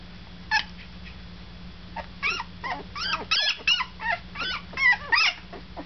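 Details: Deca's pups, about one week old, whimper and squeal in quick high-pitched bursts, some rising and falling in arcs, several overlapping in a small room with a steady low electrical hum behind them.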